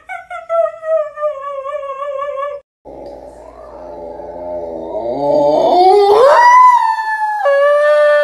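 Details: Siberian Husky in a funny pet compilation: a sustained, wavering howl holding one steady pitch for about two and a half seconds, then a rising, straining vocal slide that climbs and levels off, with music in the background.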